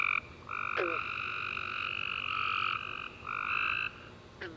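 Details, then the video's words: Nighttime tree frog chorus following a warm summer rain, long sustained chirping trills from several frogs overlapping almost continuously, with a couple of brief sharp clicks standing out. "Tree Frog Chorus After A Warm Rainy Day - 10 Hours Tree Frogs Chirping You To Sleep"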